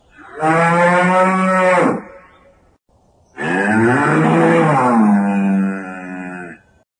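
A bull gives two long, deep moos, each about one and a half to three seconds, with a rich harmonic tone that rises and falls slightly.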